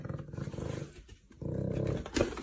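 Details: Black panther cub in Russia, fierce as a youngster and refusing to be held, gives low rough pulsed growls in two bursts separated by a short quiet gap, ending in a brief sharp noise.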